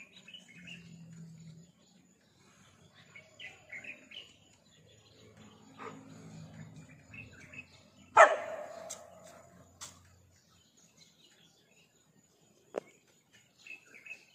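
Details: A dog that has spotted a lizard it cannot catch lets out one loud, harsh bark about eight seconds in, then a few short, fainter sounds; otherwise quiet, with soft distant chirps and a low hum.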